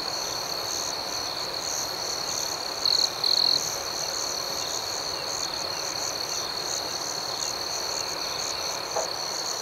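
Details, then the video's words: A soothing night cricket chorus: high, continuous ringing trills and soft rhythmic chirps. A pair of short, louder buzzy bursts sounds early on, then the even chorus resumes over a gentle background hiss. "Soothing Cricket Sounds"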